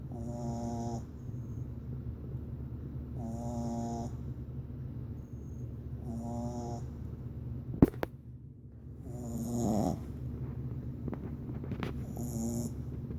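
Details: A female Boston Terrier puppy snores loudly while sleeping, in a steady rhythm, each rasping breath repeating about every three seconds.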